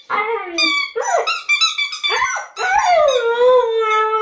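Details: Siberian Husky indoors in a lyrical mood, singing: a run of yodelling, yelping notes that slide up and down, ending in a long drawn howl falling and levelling off.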